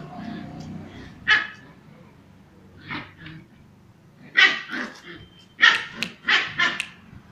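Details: Female Kombai puppy playing aggressively, with sharp high barks and yips coming in clusters, loudest toward the end, over a low background hum and occasional human voice.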